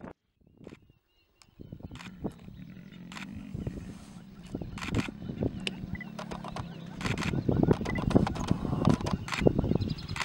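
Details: Lions in Timbavati during mating; a male, seemingly new to the pride, tries to mate with a pride female and fights the females for dominance. Low rumbling growls and snarls come in irregular pulses, swelling louder toward the end, with sharp clicks and faint bird chirps.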